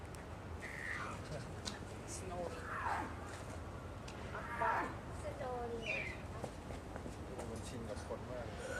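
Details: Yukko, a seven-month-old female snow leopard cub at Sapporo Maruyama Zoo, Japan, born 2 May 2009 and recorded 10 December 2009, her voice shifting toward a meow; several short descending cries spaced a second or two apart over steady background hum.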